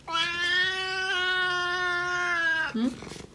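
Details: Oriental Shorthair cat gives a long, loud, steady meow of over two seconds, rich in overtones, ending with a brief lower dip, indoors in a small room.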